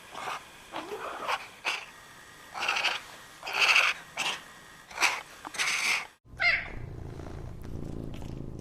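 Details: A rare kind of cat making a run of short, raspy, breathy bursts about every half second to second, followed by a sharp high note and a low steady rumble.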